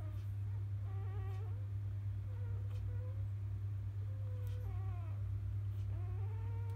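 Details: Newborn field-line Labrador Retriever puppies, born to a grand champion dam named biscuit, after nursing in the morning: thin, wavering whimpers and squeaks, some flat and some gently rising, scattered through the clip over a steady low electrical hum.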